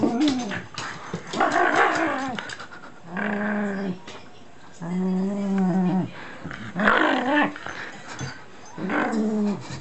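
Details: A playful Shiba Inu with packing tape in its mouth gives sustained, low, groaning growl-whines, each held one to two seconds and sometimes rising then falling, repeated roughly every three seconds with quiet gaps between.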